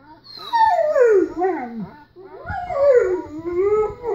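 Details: German Shepherd named Kessem howling indoors while watching footage of another German Shepherd riding in a car; two long harmonic howls, the first sliding downward, the second wavering and rising, separated by a short pause.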